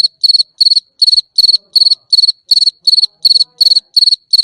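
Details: Cricket calling at night: steady high-pitched chirps in short pulsed bursts of about three to four pulses, repeated roughly three times per second with clean silent gaps, no other sounds.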